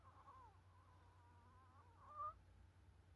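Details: A Chihuahua, after playing football with a ball, sleeps and snores with a thin, wavering nasal whistle that rises slightly at the end.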